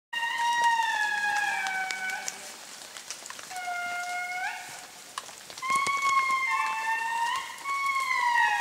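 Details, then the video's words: Wild indri in eastern Madagascar wailing in long, gliding, harmonic notes that slide downward, with several voices overlapping. "The Call of the Indri - Eastern Madagascar HD"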